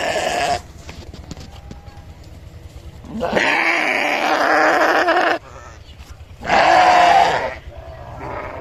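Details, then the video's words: A sheep gives three bleats: a brief one at the start, then a long raspy two-second cry, followed by a shorter quavering bleat, over a faint steady hum. "Sheep Making A Cute Noise For Kids"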